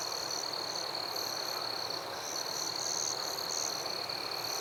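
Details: Night forest chorus of crickets and other insects, with one continuous shrill trill running throughout and a layer of brief, higher chirps bursting irregularly above it, all set against a thick, hissing background of many callers.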